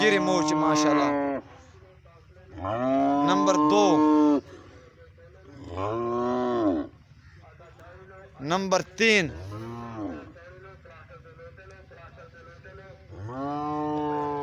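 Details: Friesian heifers giving a series of loud, drawn-out moos, about five calls in fourteen seconds. Each moo swells and then falls away in pitch, with shorter, harsher bellows near the middle and quiet gaps between calls.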